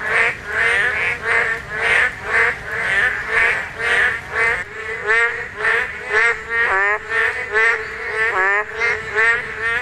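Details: Korean narrow-mouthed toads calling during spawning season, several overlapping: nasal, harmonic croaks with wavering tone, rising and falling in a dense, uneven chorus of roughly two calls per second.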